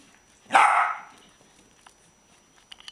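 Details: Pet dogs Jack, Boo and Buddy playing indoors, one sharp, loud bark lasting about half a second, followed by quiet scuffling and a few light clicks.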